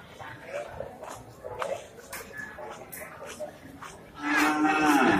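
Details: Male Indian cattle bull rampaging on entering Pasar Wage Bumiayu animal market, six days after Eid al-Fitr 2022. Crowd chatter gives way to a loud, drawn-out, low moo with rich harmonics that falls slightly in pitch near the end.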